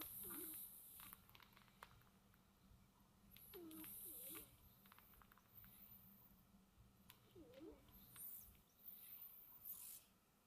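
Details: Domestic cats soundly asleep at home, breathing softly: faint hissy snoring breaths recur every three to four seconds, with small low squeaky tones between them over a quiet steady background hum.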